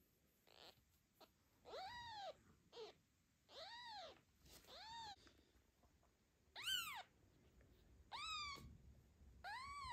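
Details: Mother cat Zlata hiding her newborn kitten behind the cat house after other cats show interest, afternoon; eight or so piercing, bowed meows spaced irregularly, some brief and thin, others full and harmonic-rich, over quiet background hiss.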